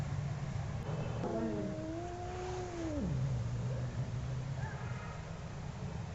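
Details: Angry cat giving a long drawn-out yowl, a wavering harmonic tone that holds steady, then slides sharply downward into a low moan, over constant low traffic-like rumble and noise.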